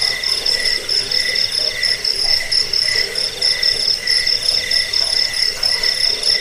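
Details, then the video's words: Crickets, offered as a rat-repelling sleep aid and for training songbirds, trill in steady pulsed chirps, a shrill band high overhead and a lower band beneath, repeating about one and a half times per second with no pause. "Suara jangkik pengusir tikus pengantar tidur"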